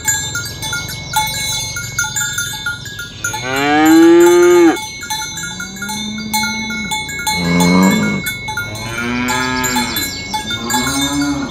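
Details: Dozens of tame, well-fed cows herded along a village road in the morning toward the pen, lowing in several drawn-out moos, some rising and falling, over a steady background of clinking cowbells.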